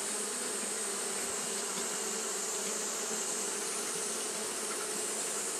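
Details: Hot-day fanning by Japanese honey bees fills the clip with a constant, many-winged buzz, low tonal bands beneath a wide airy hiss, with faint flickering in the hum but no breaks.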